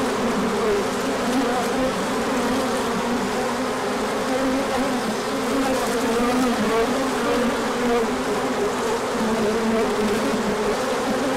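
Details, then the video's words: Many honeybees on a large orientation flight as the sun came out after colder days, in late March; a dense, continuous hum of overlapping wingbeats with shifting drone tones throughout. "Large Orientation Flight."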